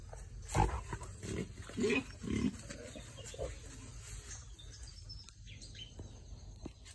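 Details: Crossbred wild boar, described as very aggressive though only at certain times, giving a few short, rough grunting squeals in quick succession early on, then quieter rustling and background noise.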